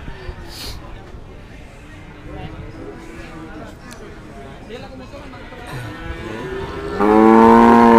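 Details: Market cattle at Pasar Sapi Kliwonan, Kediri, East Java, Indonesia, among Limousin, Simmental and Pegon stock for sale. Faint wavering tones come first amid background chatter, then a loud, sustained, rich-toned moo swells in near the end.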